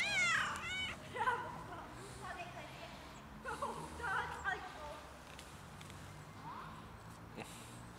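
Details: Cat outdoors in freezing winter cold, struggling for food and warmth and seeking warmth. A loud, arching, harmonic-rich meow opens, then shorter, softer meows follow around the first, fourth and sixth seconds, mixed with a person talking quietly nearby.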